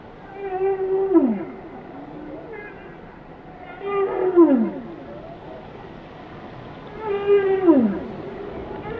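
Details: Whale song with three loud phrases at about three-second intervals, each a rising then steeply falling moan with many stacked harmonics, softer wavering notes between, over steady underwater hiss.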